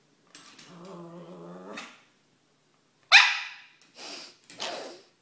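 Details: An 18-month-old female Cavalier King Charles Spaniel gives a drawn-out, grumbling whine, then sharp barks, asking to play.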